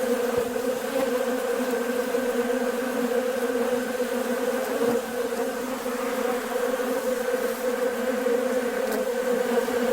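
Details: Many honey bees swarming a bucket feeder of sugar water on a nice warm day, busy and feeding; a steady dense hum with strong bands low and mid, unbroken for the whole stretch, a few faint clicks.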